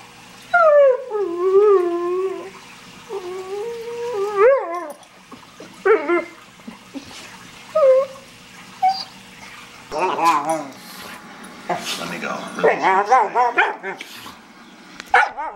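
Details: German Shorthaired Pointer, kept alongside an Australian Cattle Dog, making funny noises: wavering, whine-like tonal howls that slide up and down in long drawn phrases, then shorter yelps and broken whimpers, with faint background sounds.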